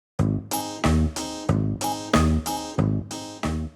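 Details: Plucked guitar chords strike in a steady, bouncy rhythm.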